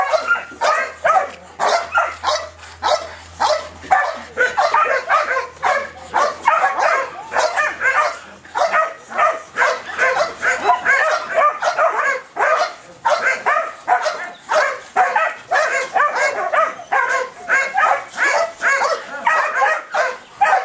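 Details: Belgian Malinois showing high ball drive, giving a fast unbroken run of high, yelping barks, several per second, with a faint low hum underneath early on.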